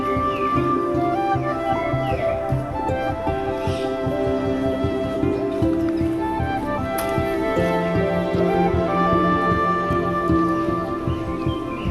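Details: Flute-led instrumental music plays throughout, with sustained melodic tones and no animal calls.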